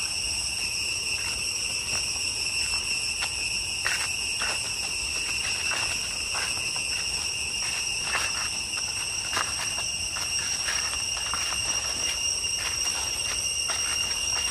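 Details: Cicadas give a steady, high, ringing drone with layered metallic tones and faint clicks in deep jungle along the way to Chhay Yong Waterfall, Areng area, Koh Kong Province, Cambodia.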